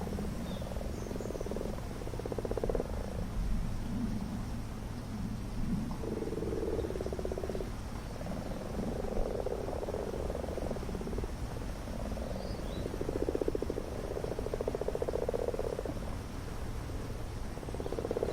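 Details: Common frogs gathered en masse for spawning in a garden pond, males calling to find females, recorded up close with a mini-camera; overlapping low purring croaks in pulsed bursts of one to two seconds, continuous chorus with low rumbling background.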